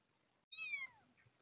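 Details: Abandoned kitten, one of two found hungry by a house and fed milk replacement, gives a single high falling meow lasting about half a second, rich in harmonics, in a quiet indoor room.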